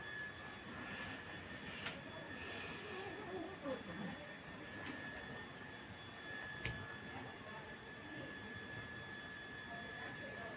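Steady engine-like rumble with a constant high hum and a few sharp clicks; no animal voice stands out.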